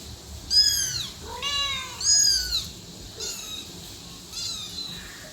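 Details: Meowing from a cat and kitten, with three loud, bright, descending mews in quick succession followed by two softer, shorter ones, set against a light background hiss.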